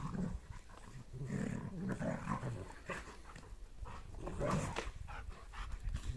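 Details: Two German Shepherds, mother Asta and son Max, playing together; rough, low growls and snarls come in bursts with heavy panting, alongside scuffling and thumping from the play.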